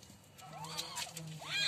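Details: Kittens beginning to vocalise: two brief, arched mews follow each other, the second higher and sharper. A low background hum runs throughout.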